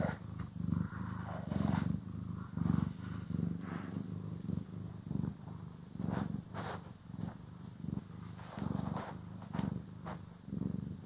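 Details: Cat purring while groomed and brushed, stereo recording: continuous soft rumbling purr pulsing with each breath, with frequent bristly brushing swishes and scratchy strokes over the purr.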